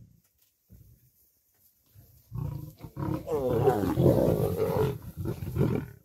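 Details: Lions and lionesses squabble over food at a kill, where a dominance hierarchy decides who feeds first. After quiet low rumbles, a dense, snarling growl builds and continues to the end, mixed with voices.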